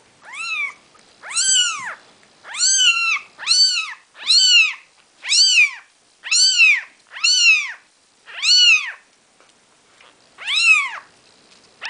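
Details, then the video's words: Four-day-old Maine Coon kitten mewing insistently: loud, piercing arched cries repeated roughly every second, about ten in a row, evenly rhythmic, clear and close. "Maine Coon Kitten"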